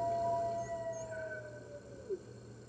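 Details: Red wolves at the NY Wolf Conservation Center joining the rest of the center's wolves in a morning chorus on 15 March 2013, picked up by webcam. A long, smooth howl slowly falls in pitch and fades, ending with a short low yelp.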